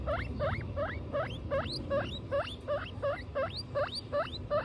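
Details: Guinea pig from a family of mother Butter and her babies Lion, Tofu and Mochi, giving about eleven sharp, rising squeaks repeated roughly every 0.4 seconds in a steady series over a low rumbling background.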